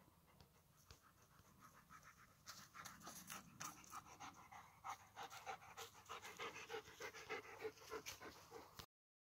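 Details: Several German Shepherds panting close by: quick rhythmic breaths about three per second, soft at first and growing louder and steadier from the middle onward.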